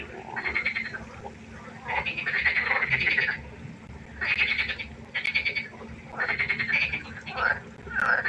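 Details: Night pond frogs give loud rasping, pulsed croaks in separate bursts of one to one and a half seconds, broken by short quiet gaps, several callers overlapping.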